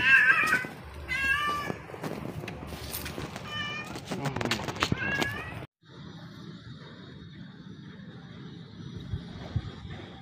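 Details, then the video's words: Stray cat meowing: several short, rising-then-falling harmonic meows in the first half, overlapping with rustling and other noises, then a quieter stretch of low background hum and a steady high tone. "poor cat - it lost his voice"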